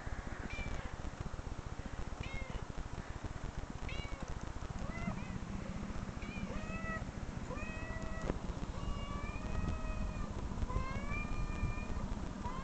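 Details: Cat meows replayed from online clips in a room: a dense series of short meows, then longer, flat, drawn-out mewing toward the end, over a persistent low rumbling background.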